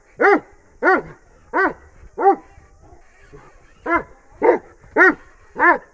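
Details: Dog of Bully and Dogo Argentino mix barking in two bursts, four deep harmonic barks, a silent gap of over a second with faint low sounds, then four more barks in quick succession.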